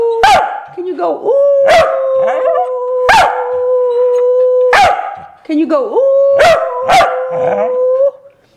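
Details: A corgi, prompted to sing a Christmas carol, tries to bark Jingle Bells: sharp, rhythmic barks slide into drawn-out, howling, singing-like tones until its voice is worn out.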